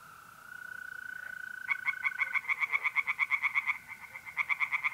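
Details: Night pond in north-east Italy, mid-April: a steady mole cricket trill leads into loud rapid tree frog croak series, pulses packed several per second, a second frog answering at the end over the continuous insect drone.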